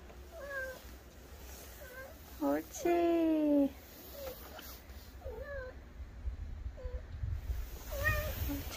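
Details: Kkaebi, a white kitten living in the countryside, wild with play at night: several short, bent meows a second or two apart, then one longer, louder, strongly harmonic meow, with a person speaking softly nearby.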